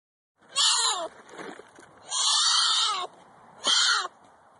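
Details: Florida black bear cub crying out for protection from its mother when it feels threatened: three loud, harsh, wailing cries, each half a second to a second long, with a falling tail, separated by short quieter gaps.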